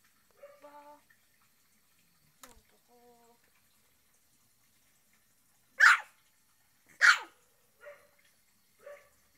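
A Shih Tzu gives two loud, sharp barks among softer yips and whines.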